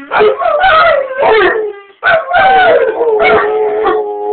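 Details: English Mastiff male joining dogs heard howling outside, a rottweiler howling along in the background; loud, drawn-out, quavering howls that slide downward, rising and falling in repeated surges with overlapping voices.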